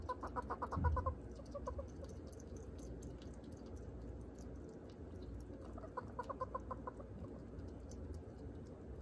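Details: A hedgehog gives happy chirps while eating a tiny piece of chicken: two quick runs of short, squeaky chirps, each about a second long, over a soft low rumble and chewing sounds.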